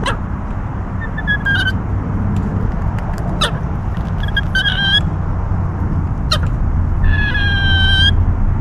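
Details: A squirrel squealing: high, thin harmonic squeals and short chirps come in bursts around 1.5, 3.5, 5, 6.3 and 7–8 seconds, the last a long tremulous run, over a steady low rumble.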